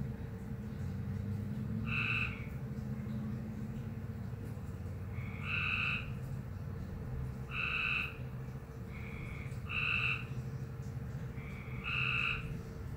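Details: Frog uttering a strange call, faint buzzy two-toned notes spaced about two seconds apart, five in all, against strong low rumbling noise and a steady hum.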